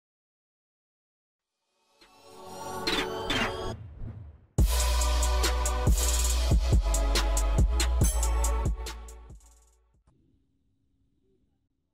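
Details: Electronic music rises from silence, then booming bass and drum-machine hits play before fading out to near quiet, with no animal sound.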